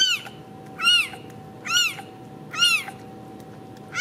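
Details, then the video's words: Ragdoll kittens at a home cattery in central Kansas meowing in high, arched, bright calls, four of them under a second apart, against a faint constant electrical hum. "Ragdoll Kittens"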